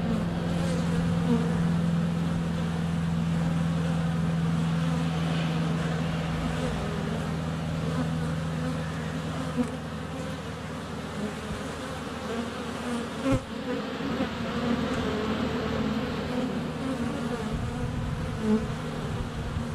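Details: Honey bees crowding a hive entrance in February sunshine, filmed under a foot away on a GoPro Hero 7 Black: a continuous low droning buzz with a steady hum tone early on, swelling and fading as bees pass, and one sharp knock midway.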